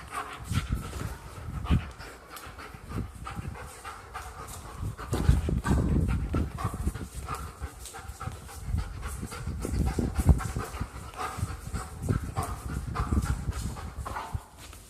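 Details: German Shepherd dog playing at home, breathing in quick, steady, breathy bursts low in pitch, with louder stretches around the middle and near ten seconds, over soft rustling and thumping movement.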